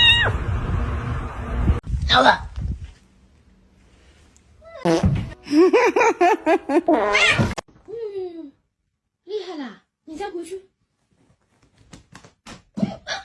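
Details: Domestic cat giving several drawn-out meows that bend up and then fall, clustered in the second half, after an opening of overlapping voices, thumps and light background music.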